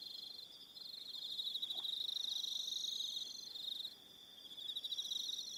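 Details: Evening crickets on Aroha Island, New Zealand, keep up a high, rapid pulsing trill. It swells loudest in the middle and then softens, with faint higher tones drifting in and out above.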